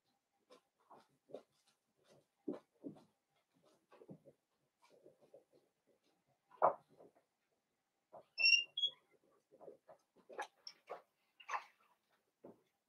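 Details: Young Blenheim Cavalier King Charles Spaniel puppies, five littermates born to Paris and Spike at New Year, resting in a home puppy pen. Irregular quiet grunts and mews, with a few thin high squeaks midway and louder yelps near the end.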